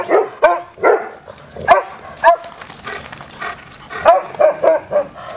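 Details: Dogs playing together: sharp, bright barks and yelps come in separate bursts roughly every half second, with brief quiet gaps between them.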